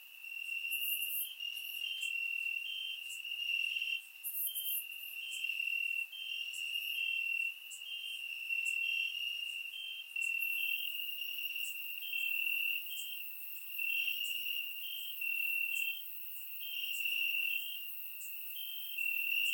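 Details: Crickets chirping in grass on a warm summer night in Bulgaria, recorded with a surround microphone: a steady high trill with pulsing bursts of louder chirps that swell and fade every second or two, with no other sounds.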